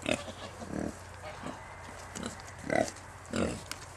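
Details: Newborn Kunekune piglets on a French farm estate: soft low grunts and a few higher squeaky notes in irregular bursts, over a constant low background hum.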